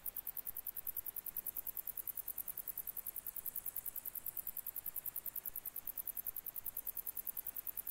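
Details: Grey bush-cricket recorded in July 2021, stridulating in a rapid, regular series of thin, high clicks that keep an even rhythm across the whole stretch, against quiet hiss.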